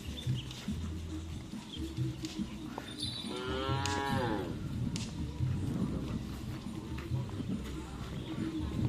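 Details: One arching, harmonic moo lasting about a second from racing cattle at karapan sapi training on the Asemanis field, Pamekasan, heard mid-clip against a low, rumbling crowd and background music.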